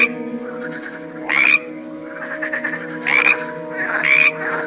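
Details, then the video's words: Frogs of assorted species give loud grating croaks, two close together near the end, with softer rattling calls in between and a steady droning tone beneath. "A cool collection of various frogs - Croaking sounds"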